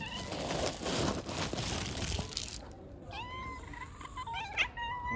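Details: Kittens being given food: rustling and handling noise at first, then several short, thin, high mews in quick succession, each rising and falling briefly, during the last two seconds.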